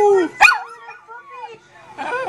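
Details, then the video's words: A puppy 'chatting' by a computer gives a short yelp, then a soft, drawn-out wavering whine that fades, and ends with a rougher, noisy vocal burst. "Puppy chatting on the computer"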